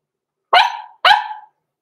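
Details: Two quick, bright barks half a second apart from blenheim Cavalier King Charles Spaniel puppies, six weeks old, Roman and Blue, kept in an indoor home pen, born November 14, 2022; quiet before and after.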